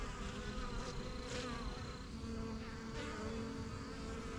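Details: Bees of a backyard yellow hive, the strongest of the first hives started in spring 2023, coming and going as they learn the surrounding area. Even, massed buzzing with brief hissy flickers above the drone.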